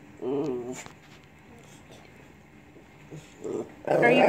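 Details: Lhasa Apso dog 'talking' indoors: a wavering, whine-like vocal lasting under a second, with pitch bending up and down. A quiet pause follows, then short bursts of a person's voice and louder mixed sound at the end.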